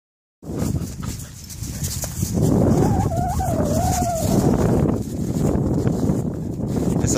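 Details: A female Belgian Malinois gives a wavering, moaning vocal warning that clearly tells another, overly rough Malinois to stop jumping on her; the other dog stops immediately.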